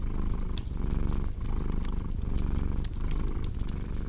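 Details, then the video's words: Cat purring beside a crackling fireplace in a relaxing sleep mix: a deep, steady rumbling purr swelling and easing with each breath about every three quarters of a second, with sharp wood-fire pops and crackles scattered over it. "Purring Cat with Cozy Crackling Fireplace Sound"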